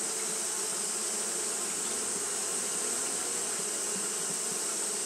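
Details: A brief stretch of Japanese honey bees fanning without pause in hot weather produces a thick, steady buzz with a constant bright hiss overhead.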